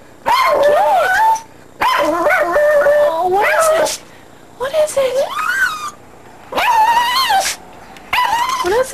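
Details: Barking at a tree, female pet dog Terry produces a series of five loud drawn-out yelping, whining barks, each lasting about a second, separated by short pauses, overlapping with excited human talk.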